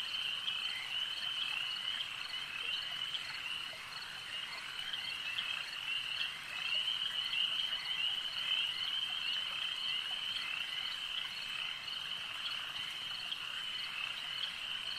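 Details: Many frogs croaking together by a lake in a sustained high trilling chorus, roughly two pulses a second merging into a steady drone, briefly dipping in volume midway before swelling again.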